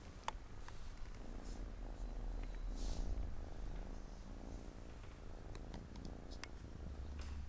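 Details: A deep rumbling purr from Siamese cats, four kittens playing around their mom on a Saturday afternoon indoors; the throbbing drone runs unbroken with gentle breath-rhythm swells and a few soft clicks and rustles.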